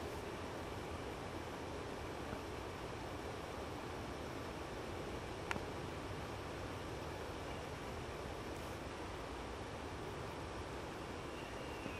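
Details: Steady roaring wind noise outdoors, broken only by a single sharp click.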